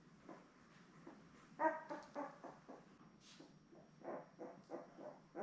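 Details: Newborn Labrador Retriever puppies from Belle's litter of seven, born May 24, 2021, on a live puppy cam; soft, short squeaks and whimpers repeat irregularly, with one louder yelp near the middle.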